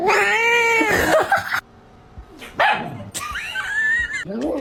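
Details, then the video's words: Domestic cat yowling indoors: a long, loud, wavering caterwaul of about one and a half seconds, followed after a pause by shorter strained cries and a rising, bending call. "Funny cat sounds"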